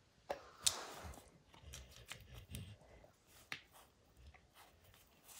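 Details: Pet dog Max gnawing a baseball hide to pieces in a small room, rapid irregular crunching and chopping-like bites, two sharp snaps standing out, low rustling underneath.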